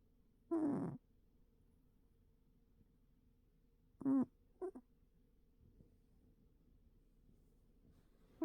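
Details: Old cat snoring: short, nasal, whistly tones with a wavering pitch recur about every four seconds over an otherwise quiet indoor background.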